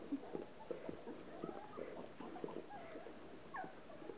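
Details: Relax, a Hovawart bitch, washing her litter of 13 ten-day-old puppies; soft wet licking and shuffling, with short faint squeaks and one thin rising whine near the end.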